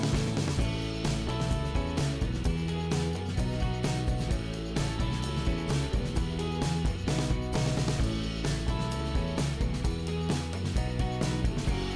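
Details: Steady background music with a regular beat plays throughout, and no animal sounds are heard.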